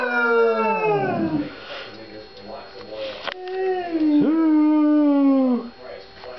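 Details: Two pet dogs howling together: long, wavering howls with rich harmonics that slide downward, a second voice rising in with a steady, drawn-out tone near the end.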